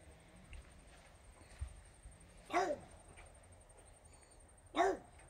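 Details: French Bulldog Regis barking at fairies: two separate short barks spaced about two seconds apart over a faint low indoor hum.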